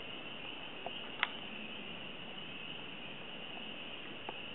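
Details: Spring peepers calling on March 10, 2008, at Pine Grove, Lake Monroe, Indiana, in spring: a dense, unbroken high-pitched chorus of peeping, with a few louder single peeps standing out near the start and end.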